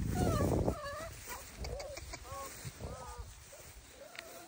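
Bernese Mountain Dog puppies give a series of short, high, wavering whimpers and whines.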